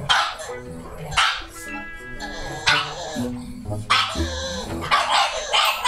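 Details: Two pugs, a male born December 2019 and his mother, a female born March 2016, bark loudly in excitement at a visitor (the owner's mother), one high and sharp, the other deeper, over background music.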